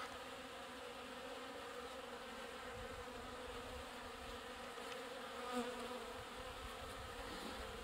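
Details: Honey bees collecting water at a trough: steady multi-toned buzzing drone from many insects, with one closer bee passing loudly around five and a half seconds.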